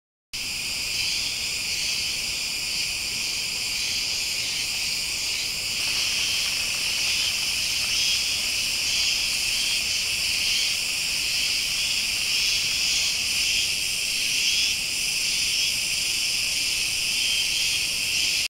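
Cicadas fill the air with a steady, high, shimmering buzz that never lets up.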